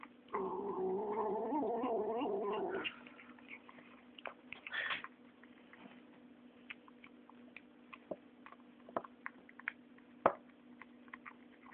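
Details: Nine-week-old female kitten making a sustained wavering, moaning growl while eating for about 2.5 s, then quiet crunching and chewing clicks for the rest.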